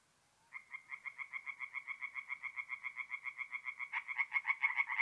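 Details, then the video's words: Tree frog calling by night at a forest pond in mid-April, North-East Italy: a steady stream of quick, nasal, rattling pulses, joined near the end by a second louder frog overlapping. "relaxing forest pond by night with singing tree frogs"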